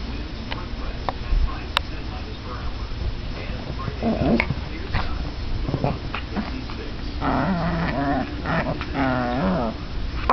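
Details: Chihuahuas Bella and Sasha at tug of war, Bella turning fierce in play; scattered clicks and soft rumbles, then a burst of harmonic, snarling growls in the last few seconds.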